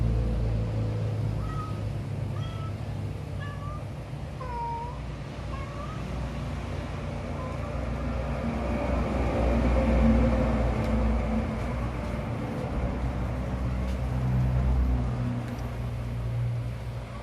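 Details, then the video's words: House cat producing odd sounds alongside strange movements, with a series of short wavering meows in the first seven seconds, then mostly a low mechanical drone with scattered clicks. "my fushikit 😱😱😱 making sound"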